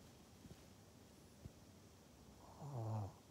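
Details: Maria, a pug in Japan, recorded 14 November 2020: a few faint low clicks, then a short, deep, rough snore-like snort with a pulsing harmonic buzz near the end, over a quiet background hiss.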